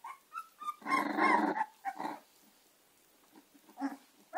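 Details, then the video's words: Gina and Zeus, American Staffordshire terrier puppies, indoors: a few thin whines, then one rough, growly bark-squeal lasting under a second, followed by softer scattered yelps. "American staffordshire terrier cachorros gina y zeus"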